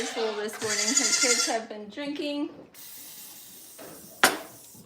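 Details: A goat at The Willful Goat Farm & Home gives one long, trembling bleat that wavers up and down in steps, followed by a steady hiss and a single sharp clack.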